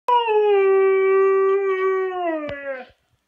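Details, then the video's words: Alaskan Malamute howling: one long, steady, tonal howl held level for about two seconds, then sliding gently downward and fading, with a brief click near the end. "Malamute howling"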